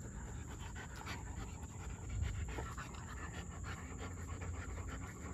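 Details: German Shepherd dog panting in quick, steady rhythmic breaths throughout, a soft breathy huff repeating several times a second, over a constant high-pitched electronic whine in the background.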